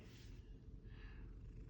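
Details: Sleeping pet cat named Kai, tired, snoring with a steady low rumbling breath, a breathy hiss rising in the upper range on the inhale and again about a second later, close and indoors.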